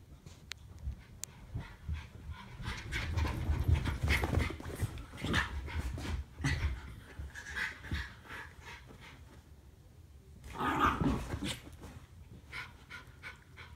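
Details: Norfolk Terriers Ernie and Hank play-wrestling together. Fast ragged panting and gruff, throaty bursts come in uneven clusters, with a low rumble underneath and a louder scuffle near the end.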